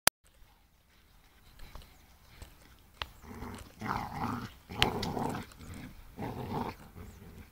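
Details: Two pit bulls, Stylo and Bru, playing together: rough, low growling bursts rise and fall in short grumbling bouts, louder in the second half, with a few sharp knocks and thumps between them.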